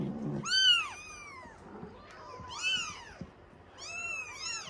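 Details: Baby Norwegian Forest Cats at a cattery loudly demanding milk, three bursts of shrill, bending meows from more than one kitten, rising and dropping in pitch, with faint indoor rustling between calls.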